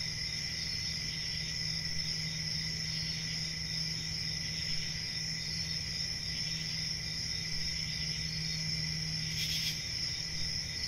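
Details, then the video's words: Unbroken high cricket chorus, shrill and steady, with a faint low hum running underneath and a single brief rustle toward the end. "Cricket Sounds"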